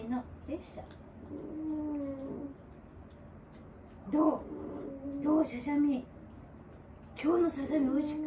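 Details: Elderly dog Wanta, in home care, vocalizing during a morning routine while awake and flailing its legs: a long, steady, mid-pitched moan, then three shorter groaning bursts that rise and dip, heard indoors in a small room.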